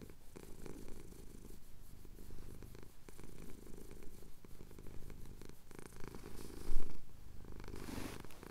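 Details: Male cat purring as his chin is scratched during a Cotswold sunrise, captured with a Tascam DR-07X; continuous deep rumble with soft, less distinct breath phases and a brief louder bump near the end.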